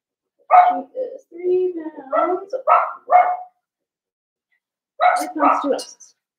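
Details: Indoors in a puppy pen, a litter of five Blenheim Cavalier King Charles Spaniel puppies gives high yaps and whining barks in an uneven run, then two more sharp barks after a pause.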